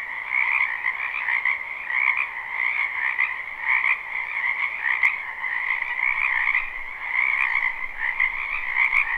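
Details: Spring wetland frogs behind a home, recorded live: a steady wall of overlapping croaking trills, a higher shrill layer over a lower one, swelling and dipping every second or so, with a few faint clicks.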